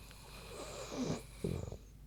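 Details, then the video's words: Queenie, a big pig, snoozing; after a soft hiss, a low rough snore swells, then a second louder burst of short throaty pulses near the end. "Big Pig Snoozin' (HD Queenie Snoring Audio)"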